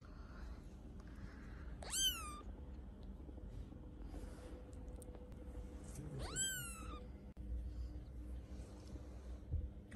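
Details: Two newborn British Shorthair kittens, sisters born December 11, 2021; two high, rising then falling meows about four seconds apart, with a woman speaking Russian and low room hum.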